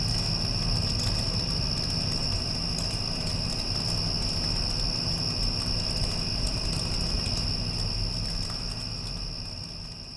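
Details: Crickets trilling steadily at a high pitch following a passing storm, mixed with the heavy low whir of an air conditioner; the whole sound fades gradually in the final seconds.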